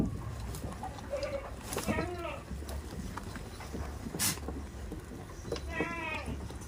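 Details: Quavering, wavering bleats from tame farm goats rise twice, around the second and sixth seconds, between stretches of murmured speech and low background hum.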